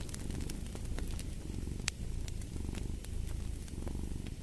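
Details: Close, dense purring of a cat, a low throbbing rumble filling the whole stretch, with a few faint fireplace crackles on top.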